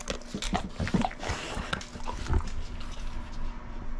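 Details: A pit bull eating dried shrimp, recorded close up: crunchy bites and wet chewing clicks come in a cluster during the first two seconds, then softer smacking and licking sounds follow.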